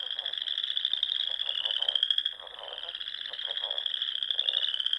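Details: Frogs singing at dusk in spring among small lakes and ponds of the Sandhills dunes, Nebraska: a steady, high, continuous trilling chorus overlaid with lower, rapidly pulsed croaking bursts throughout.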